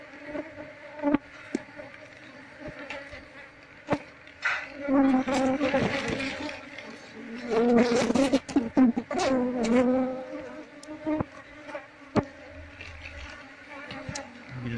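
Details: Colony of wild Asian honey bees droning continuously while comb after comb is scraped from the nest for moving into a hive box; a man talks at length over the hum, with clicks and taps.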